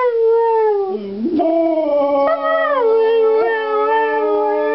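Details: Two Siberian Huskies, lying down, howl together in long, wavering tones that slide up and down in pitch.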